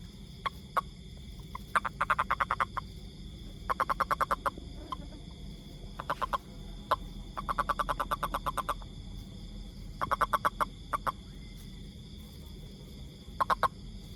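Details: Toad calling in bursts of rapid clicking pulses, each burst about half a second to a second long and repeated every two to three seconds, over a steady low hum and faint high background tones.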